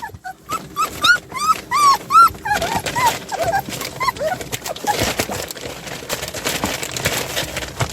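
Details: Puppies, two of seven, escaping from their play area: a run of high, arched whines and yelps, about six in the first two and a half seconds, fading into fainter whimpers amid rustling and scuffling noise.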